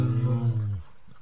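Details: A wild bear gives one deep, droning growl that holds steady and low for under a second, then breaks off into near silence.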